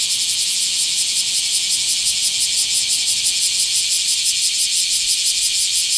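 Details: Bear cicada recorded in a small park, 24 July 2026, producing a dense, high, metallic buzzing with quick regular pulses about three per second, steady and unbroken throughout.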